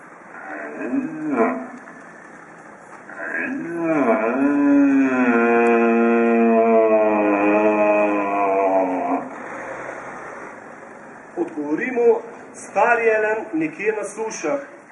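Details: Rutting red deer roar from near Borovnica, Slovenia, played at an exhibition opening: a sustained, rising-then-level harmonic bellow of about five seconds, preceded by a shorter groan and followed by brief rough grunting sounds.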